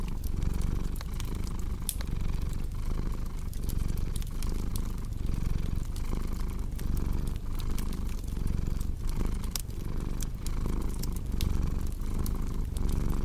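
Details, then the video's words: Deep rumbling cat purr with a rhythmic rise and fall on each inhale and exhale, accompanied by dense fireplace crackle, crisp pops scattered across the whole stretch. "Purring Cat with Cozy Crackling Fireplace Sound"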